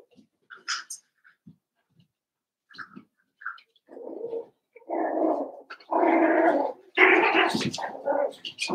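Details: Eight Cavalier King Charles Spaniel puppies, Daisy's litter joined with Robin's pups, during play: scattered small squeaks build into sustained, throaty growling and whining that grows louder and rougher toward the end.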